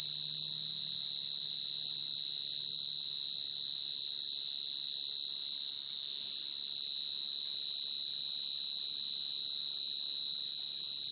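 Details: Field cricket calling females at night, a natural song used to trap crickets: a loud, sustained, high-pitched trill at one constant pitch, with a slight dip in volume midway and a brief low hum at the start.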